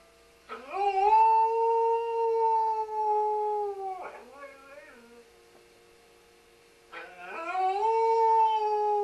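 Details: Welsh Springer Spaniel Sam singing: a long smooth howl that rises and then holds a steady pitch for about three seconds, a short wavering yodel-like call, a pause, then another long rising howl.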